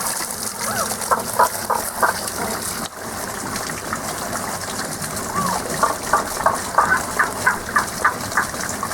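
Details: Unseen frogs singing, a sound heard only in this season: short bright notes near the middle-high range, repeated in quick uneven runs of about three per second over a steady rush of flowing water.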